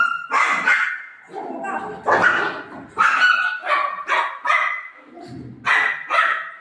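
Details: Golden retriever playing with its owner, giving short, loud, rough barks in bursts about every second, some with a tonal ringing edge, with a few softer grumbles between them.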